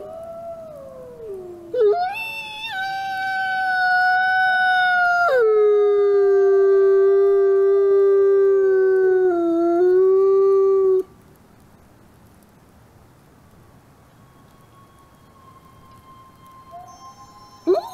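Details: Nikai, a captive-born male gray wolf at a wolf conservation center in South Salem, New York, gives a long, steady howl that slides down and holds a low, mournful pitch.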